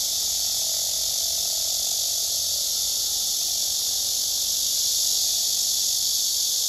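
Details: Male cicada singing with wings spread and abdomen raised on a tree, other cicadas close by: an unbroken piercing high buzz with a faint tonal hum lower down, steady throughout.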